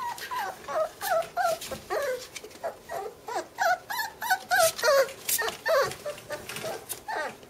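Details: Bernese mountain dog puppy sisters whimper continuously: rapid, high, squeaky whines and yips, often falling in pitch, come about three per second with some overlap, mixed with faint rustling.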